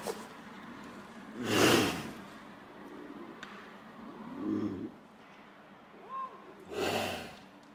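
A Canada lynx gives two harsh, breathy hissing bursts several seconds apart, with softer low grunts between.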